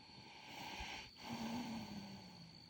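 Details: Horse snoring: a soft breathy swell, then a brief pause and a longer rasping breath carrying a low, steady droning tone, over a constant high background hum.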